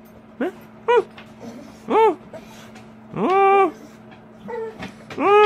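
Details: American Bully answering its owner's invitation to howl together: a run of short rising yips and whines, then a longer sustained howl-like cry with rich harmonics, a steady low hum underneath.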